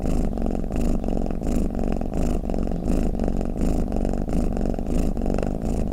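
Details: Domestic cat snoring, a deep rumbling purr that swells and fades in steady breathing cycles, about 85 pulses a minute, with no other sounds.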